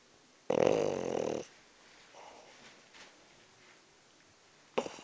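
A French bulldog gives a loud, rasping snore, then softer wheezy breaths.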